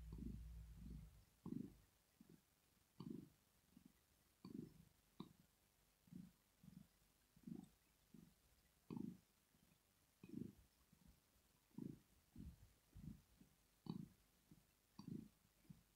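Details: Rosetta, a pet cat, purring while she sleeps, a sign of pleasure or relaxation; low rumbling pulses swell and fade in a steady breathing rhythm, roughly two bursts every three seconds, with faint soft clicks.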